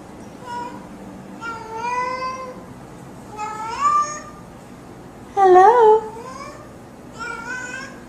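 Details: A cat meowing in greeting, saying hello; five clear harmonic meows spaced about every one to two seconds, some rising then bending down, the fourth loudest, over a quiet indoor background.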